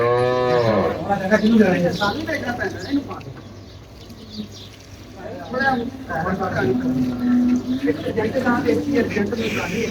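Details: Friesian cross cow giving 16 kg of milk, recorded during hand milking: a deep, drawn-out moo opens the recording. Human voices, farm background noise and a later low, droning tone follow.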